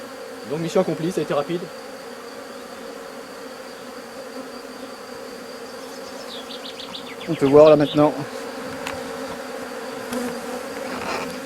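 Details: Honey bees during the successful rescue of a drone-laying colony; two short bursts of low, wavering buzz about a second long, separated by a long stretch of faint steady hum.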